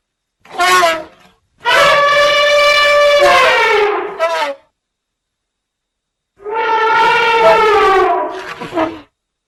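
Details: Elephant calls: a short tonal blip, then a long brassy trumpet of about three seconds ending in a quick upturned flourish, and after silence a second similar sustained trumpet with a short tail.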